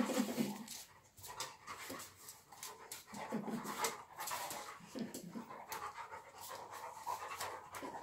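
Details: Steady breathy panting from an English Springer Spaniel, quick airy puffs running continuously with slight swells in loudness and no other clear sounds.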